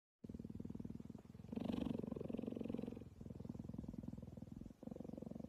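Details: Cheetah purring while being cuddled: a steady, rough, rapidly pulsing low rumble that swells louder for about a second and a half midway, then drops back and breaks briefly near the end.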